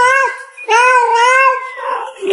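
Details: Pet domestic cat indoors, prompted to call out, gives a short clipped note and then a long, drawn-out meow that holds steady and trails off softly at the end.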